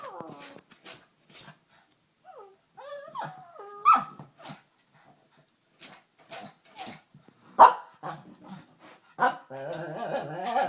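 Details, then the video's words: Pet dog, agitated, producing odd vocal noises rather than normal barks: scattered short huffs, a few bending whine-like yodels, one sharp yelp, and a rough growling moan at the end. "Vader makes weird noises"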